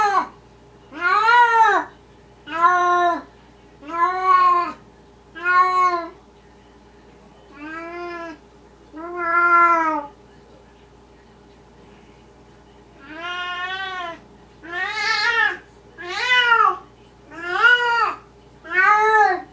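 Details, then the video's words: Maine Coon and Russian Siberian kittens meowing indoors, a run of clear harmonic mews about every second, a short pause, then a louder, higher series of repeated cries. "Maine Coon and Russian siberian kitten"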